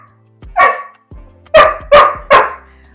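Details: Pet Labrador Retriever dog barking at home after being told the treats are finished, at the end of a bark training session. One sharp bark, then three loud barks in quick succession about 0.4 seconds apart, over soft background music.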